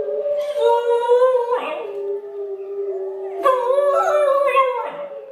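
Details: Zoey, a Pembroke Welsh Corgi puppy, howls along with recorded wolves playing on a computer: long wavering mid-pitched howls rising and bending, with a second voice layered over them and a short break in the middle.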